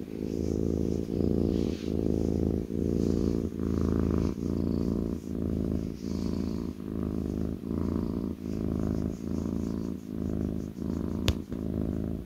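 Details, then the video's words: Kitten on its owner's lap purring continuously, a rich low-pitched rumble repeating in breath-length pulses of roughly 73 per minute, with one faint click late on. "kitten purring"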